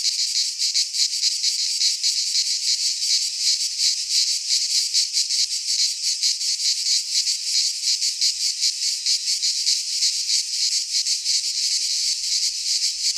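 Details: In a Greek pine forest at midsummer, many cicadas sing together in a steady high-pitched rasping drone, finely pulsed and unvarying in loudness, with only faint low rumbles beneath.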